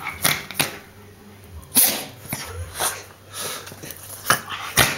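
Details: Sneezing pet dog Bobbie in a small room: a run of short explosive bursts, some single and some paired, spaced unevenly about every half second to second, with soft snorting between them and a steady background hum.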